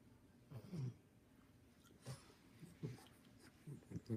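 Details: Two English Bulldog puppies with hiccups: short, low, jerky bursts come at irregular intervals, about seven in four seconds, over soft breathing and room noise.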